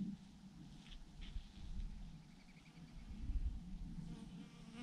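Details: Bees swarm by the thousands in a huge cluster on a branch, producing a continuous deep buzzing drone that swells slightly toward the end over a low background rumble.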